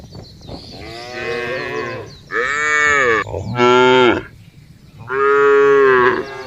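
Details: Cows in a field give a series of loud, drawn-out moos, each a rich, nasal tone lasting about a second.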